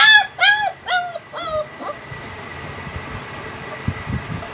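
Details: Heavy-bone, double-coat German Shepherd puppies, home bred, give four or five short, arched whimpers in quick succession over the first two seconds, then fall silent, leaving a low rumbling background with faint thumps.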